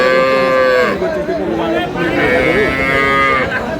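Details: Cattle at Aftabganj haat, a cow market in Dinajpur selling cows with calves, 19 May 2026; two long, steady, tonal moos separated by a short gap, with buyers' voices and market chatter behind.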